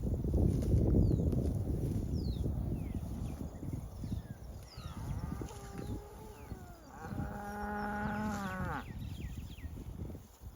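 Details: Cattle grazing together in a pasture low from time to time: a brief moo, then a longer, steady, rich-toned bellow.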